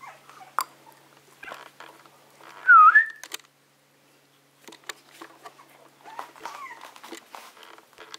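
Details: Young Maltese dogs in daily play: a single high, thin whine that dips and then rises, near the middle, among soft scuffling and light knocks, followed by quieter faint whimpers.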